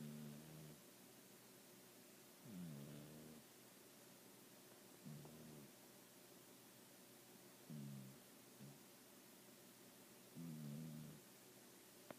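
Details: Baby, a snoring pet cat resting propped on pillows, makes five short low raspy snorts at irregular gaps of two to three seconds, quieter than the room's faint background hiss.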